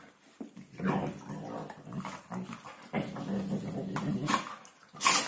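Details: Hungarian Vizsla 'talking' at New Year, a low growly grumble with whimpering tones, rising and falling in pitch over several seconds indoors, ending in a sharp higher squeak.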